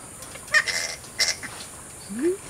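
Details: Flying foxes in a creche eating bananas from baskets given as mealtime enrichment; two short harsh, buzzy screeches about half a second apart, with a brief low rising human vocal sound near the end.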